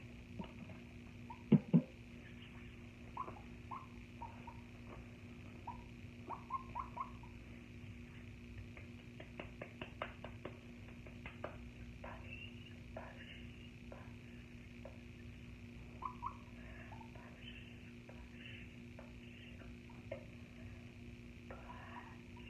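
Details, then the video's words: Guinea pig recorded close up in a quiet setting: scattered soft, short chirps and squeaks with small clicking and rustling, a pair of sharp louder clicks near the start, over a steady low background hum. "Guinea Pig ASMR"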